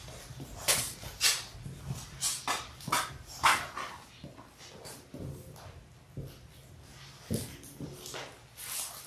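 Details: Labrador Retriever puppies in their sixth week, one of six littermates born January 18, 2022, filmed on a live puppy cam. Short sharp barks and yips come in an irregular string, a few low grunts mixed in, ending in softer calls.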